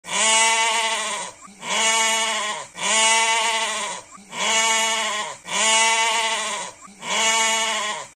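A goat bleats loudly six times in steady succession, each call a drawn-out, nasal, wavering cry.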